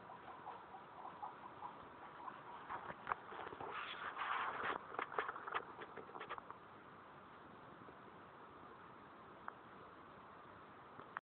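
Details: Pet guinea pigs eating outside their cage, making a mess; bursts of quick crunchy chewing clicks cluster in the middle stretch, then fade to a steady low background hiss with an isolated click near the end.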